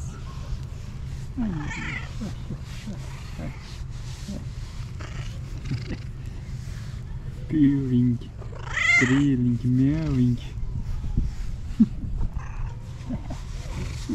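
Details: Fluffy female tabby cat, a pet, meowing midway through: several low, wavering meows and one higher meow that rises and falls, among soft background voices and handling noise.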